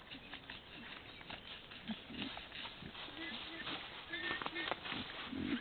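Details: Wild boar in summer giving short, low, rough grunts at uneven intervals over a noisy background.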